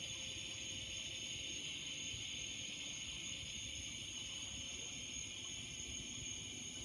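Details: In the evening, a chorus of cicadas singing among trees makes a steady, high, hissing drone with no break or change in rhythm.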